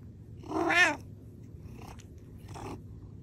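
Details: Hungry house cat wanting salmon gives one short, strong nasal meow, followed by two faint softer murmured calls in a quiet room.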